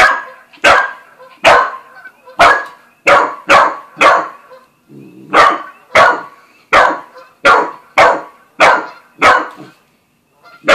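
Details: Australian Shepherd and Corgi mix, a new family dog meeting a cat, barking loudly. Sharp single barks come roughly every half second to second, about fifteen in all, with a short break midway and a person's voice nearby.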